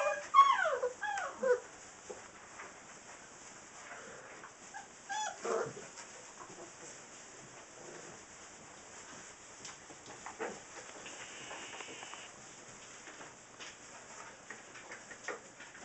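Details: Six-week-old Saint Bernard puppies give a burst of high, curving whimpers and yips in the first two seconds, then scattered softer whines and squeaks over a quiet background.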